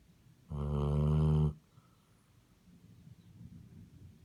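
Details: One loud nasal honk of a snoring Basset Hound lasting about a second, followed by softer low rumbling breaths.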